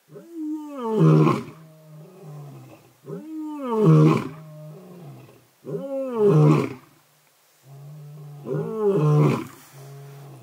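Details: An old male lion and his son in Sabi Sands roar in unison at night near a safari vehicle, deep rumbling bursts each swelling loudly and then trailing off in grunts.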